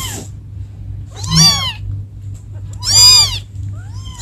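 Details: Two loud, drawn-out kitten meows, each rising then falling, about a second and a half apart, with a faint third starting at the end, as kittens call for their mother over a low background hum.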